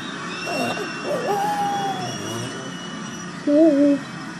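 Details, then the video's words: Pug named Olivia howls for England to win at football: wavering, drawn-out tonal howls, one sustained rising-and-falling note followed by a short louder wavering howl, over a steady background hum. "PUG OLIVIA howling for ENGLAND to win"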